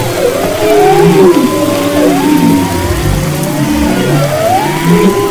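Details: Humpback whale song recorded February 22-24, 2011 off Maui's west coast: swooping whistles climbing and dipping, deeper drawn-out moans beneath, continuous low background rumble.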